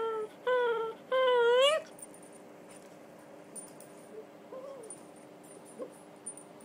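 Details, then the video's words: Female red toy poodle Donut, aged three, playing the usual game: three loud whines in quick succession, the third climbing sharply upward, then near quiet with faint soft sounds. "Donut and Her Whine"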